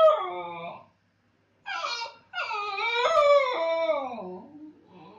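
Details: A Basenji howls while its owner is gone: wavering, harmonic yodel-like notes with one short phrase, a brief pause, then a longer rising-and-falling wail that fades into softer whining.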